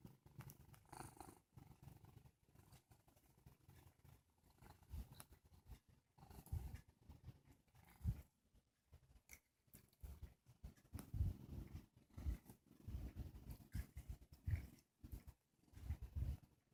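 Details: Sage, a male domestic cat who has just woken up and is yawning, purrs in a soft, low rumble that swells and fades in steady breathing cycles, with brief louder low bursts and no other clear sounds.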